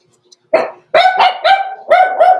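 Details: Six-week-old blenheim Cavalier King Charles Spaniel puppies, born November 14, 2022, kept overnight in an indoor puppy pen; a run of five high, harmonic yappy barks in quick succession.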